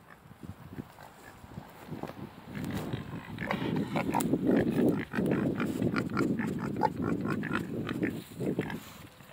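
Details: Pot-bellied and Mangalica pigs, four in all, grunting continuously in a dense, irregular stream of low rough grunts, with occasional higher squeals and faint human voices.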